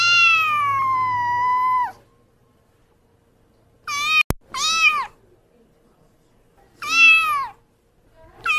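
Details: Indoor kitten sound: a long flat meow lasting nearly two seconds, a pause, then a quick pair of curved mews split by a click, another mew, and the start of a further call at the end.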